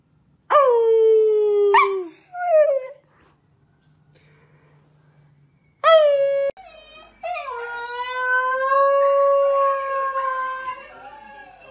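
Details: Dog howls: two short falling cries, a quiet pause, then a sharp yelp and a long, level, drawn-out howl held for several seconds before slowly fading.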